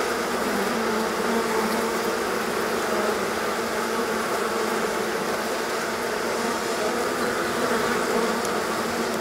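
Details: Honey bee colony swarming on a hot day after a long spell of rain and cold had kept the bees confined to their hive; a dense, steady, droning hum from many bees, unbroken for nine seconds, with no other clear sounds.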